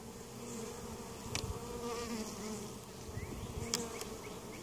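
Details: Western honey bees (Apis mellifera) hum steadily at a hive in Mt. Perry, Ohio, a weak colony that survived winter and was treated for varroa mites, with brief louder buzzes as individuals fly past.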